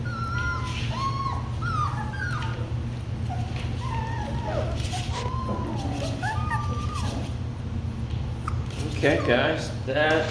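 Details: A litter of Labradoodle puppies, the Kiwi crew, giving scattered wavering whines and short falling cries, sparser toward the end where a burst of rustling and voices takes over, all over a low background hum.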